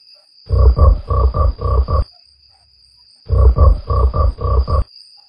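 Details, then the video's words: Green frog repeating low rasping croaks: a burst of six throaty grunts in paired rhythm, a pause of over a second, then another burst of five similar deep croaks; faint steady high whine throughout. "Crazy Green Frog"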